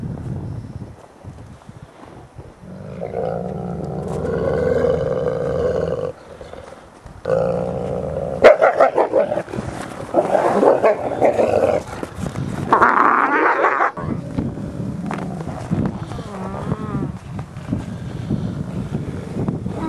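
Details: Ambassador gray wolves interacting over dominance in captivity, 15 December 2008: rough, snarling growls and harsh barking outbursts, with a rising squeal near the middle and a low rumble to the end.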